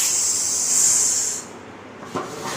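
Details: Indian cobra that has entered a house gives a steady, airy, high hiss lasting over a second, then falls silent; a single soft knock sounds near the end.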